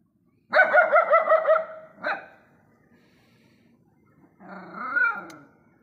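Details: Stray dogs barking together at night in a neighbourhood: a fast run of harmonic yapping barks for about a second, one sharp bark after, then a rougher, lower bark burst near the end.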